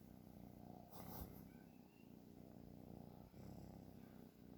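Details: A sleeping cat gives a low, grainy, pulsing snore, loudest near the start, with a brief rustle early on and a faint background hiss.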